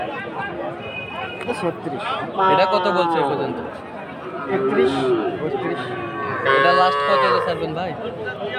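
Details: Sahiwal breed calves at a livestock market in Ambari, Dinajpur, on a Monday, 20 February: two strong bellowing moos about four seconds apart amid steady crowd talk and chatter.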